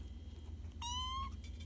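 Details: Archie the cat gives a short, level, tonal meow lasting under half a second, with a brief rising squeak near the end over a steady low hum.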